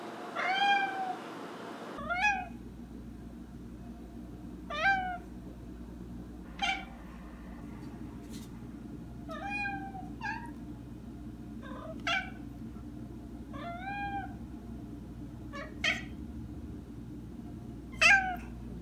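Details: Maine Coon cat Molly lets out a series of about nine short, chirpy meows, each sweeping downward, repeated every one to two seconds against a low background rumble.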